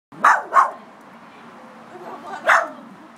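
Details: A Miniature Schnauzer barking at a crab it found at its house, fighting the intruder: two quick sharp barks, a pause of nearly two seconds, then a third bark, over a faint steady background hiss.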